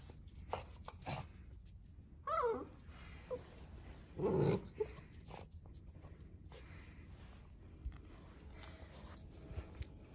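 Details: Central Asian Shepherd puppies exploring a new area for the first time on a cold 14°F day. Two short, high, wavering whines rise and fall, with a low growly undertone and soft shuffling in between.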